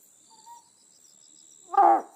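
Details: Otton frog, an endemic species of Amami Oshima, calling at night: a single short, loud, throaty burst with rich harmonics near the end, preceded by a faint brief tone and a steady high insect-like whine throughout.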